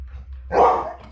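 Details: Female pet Labrador Retriever indoors, reacting while watching a recording of herself: one short, loud, rough bark bursting out midway, with a faint low hum underneath.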